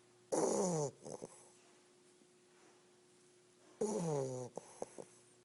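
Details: An English Bulldog puppy snores while napping, two rough, rattling breaths about three and a half seconds apart.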